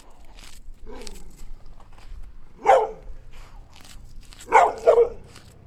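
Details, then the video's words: Dogs barking while playing in the snow, a soft whine-like call early on, then two short bursts of loud, rough barks near the end. "Latido de cachorro"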